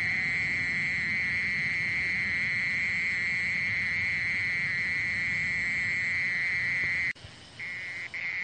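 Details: Mole cricket with a constant, even-pitched trill that runs for about seven seconds. It cuts off abruptly, then returns quieter and in short bursts.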